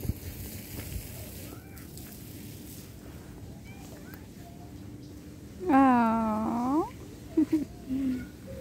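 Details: Cat meowing during separation from its owner: one long, loud, wavering meow that slides down and then rises again, followed by two short chirping meows, over a quiet background with a steady low hum.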